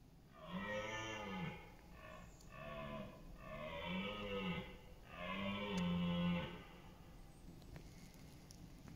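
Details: Rutting red deer stag in an East Serbian forest and meadow in autumn (September 28), roaring to compete for dominance and mates; loud, deep, harmonic bellows run almost without pause, broken into several drawn-out surges.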